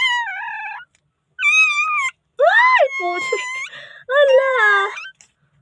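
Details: Newborn puppy in the Philippines calling for help before being saved, giving high, wavering whimpering cries in four drawn-out bursts with short silent gaps, some rising then falling, in a small quiet room.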